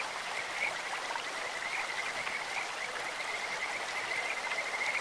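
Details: Kajika frogs calling in a clear stream, their voices likened to birds or insects: a thin, high, whistled note sounds again and again, partly masked by the steady broadband rush of flowing water.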